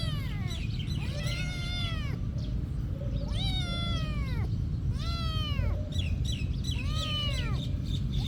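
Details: Cat living at a monastery producing four long, drawn-out meows, each rising then falling, repeated about every two seconds against a deep steady rumble.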